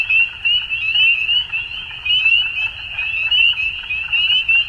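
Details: Many frogs calling at dusk in spring in Ontario, Canada: a dense, unbroken chorus of high, short, rising peeps overlapping one another, loudness swelling and dipping every second or so, over a faint low rumble.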